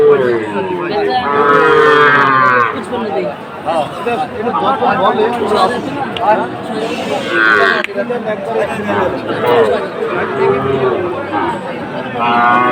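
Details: Sahiwal cattle at a Comilla livestock market in Bangladesh, 7 September 2024: loud, wavering moos with rich harmonics, then further lowing calls, set against constant crowd chatter and buyers haggling over prices.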